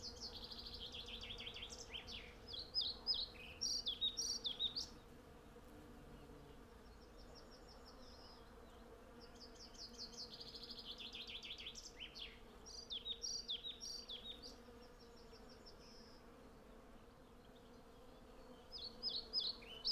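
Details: Hundreds of western honey bees collecting honey from a blossoming cherry tree, recorded on a Zoom F6 with a Sennheiser MKH 8040. A low, steady droning hum sits beneath loud bursts of high, twittering birdsong that come and go.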